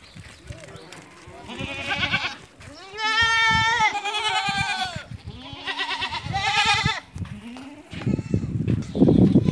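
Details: Barbari and Sojat does, goats that have kidded once or twice, on a farm in Ajmer, Rajasthan: a series of wavering, quavering bleats of mixed pitch, some long and drawn out, with low handling and shuffling noises between and at the end.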